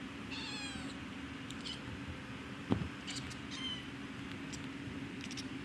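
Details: Domestic cat giving one drawn-out chirp with a descending harmonic sweep, then scattered sharp clicks and a brief faint chirp later, all against a constant low humming background and one loud thump.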